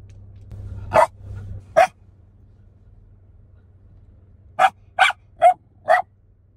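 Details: Shiba Inu barking in reaction to mountain goats, Banff National Park, Canadian Rockies, Alberta, Canada: two sharp barks, a pause of nearly three seconds, then four quick barks about half a second apart, with low steady background hum.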